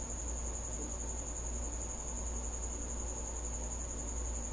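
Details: At night inside a house, a visiting cricket keeps up an unbroken shrill, even-pitched trill, with a deep steady hum underneath.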